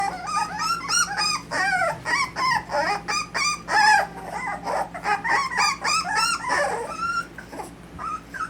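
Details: Several Miniature Dapple Dachshund puppies from Austin, Colorado whimper and whine together: overlapping high, wavering cries, some rising and falling, tumble over one another almost without pause, with short yips mixed in. A low steady hum runs underneath.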